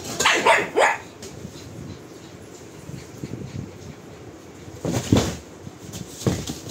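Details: Pug giving a couple of short sharp barks, then a quiet stretch with low rustling, followed by two more single barks near the end.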